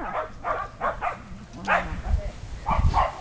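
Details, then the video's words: Shetland Sheepdogs, six 8.5-week-old puppies with adult dogs, romping in a yard after days of cold wet weather; short broadband barks and yips in bursts about every half second, with low rumbling thumps and faint voices. "Sheltie puppies and dogs play outside"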